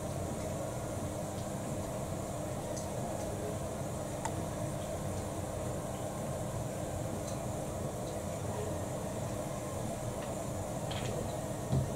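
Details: Steady low rumble like a passing train or air conditioning, with a few faint clicks and no animal voice.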